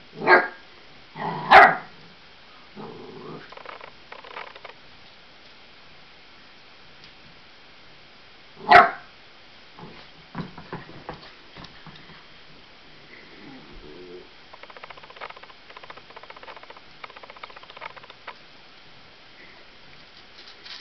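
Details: A fearful 8-week-old Labrador and Australian Blue Heeler cross puppy barks at balloons indoors, with a quick pair of barks at the start, a single bark near nine seconds, then low rustling and faint whimpers.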